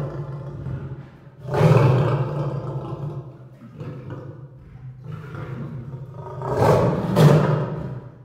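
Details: Lion roaring and moaning over a steady low rumble, with louder swells near the start and two forceful roars toward the end.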